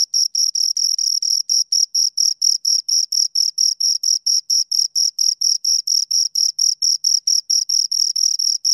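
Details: Continuous high, ringing chirps from two crickets, short bursts repeating quickly and regularly at around four per second for the whole stretch, with nothing else audible.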